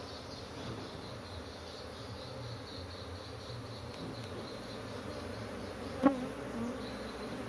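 A steady, droning hum of many honey bees buzzing together in an agitated colony.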